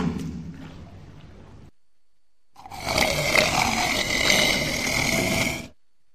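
A walrus starts with a deep, rumbling, snore-like grunt. After a brief silence comes a loud, rasping bellow lasting about three seconds, rough and broad, with a strained, roaring edge.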